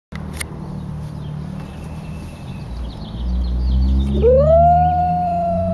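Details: Lucky the dog crying because his brother went for a walk without him: a long tonal whine rising then held steady near the end, over low rumbling background.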